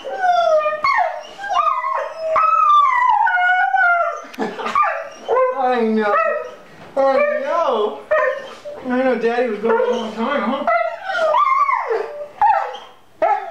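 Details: Dog crying like a child on seeing its owner again after six months apart: long wavering whines and howls, rising and falling, nearly continuous with short breaks, with human voices mixed in.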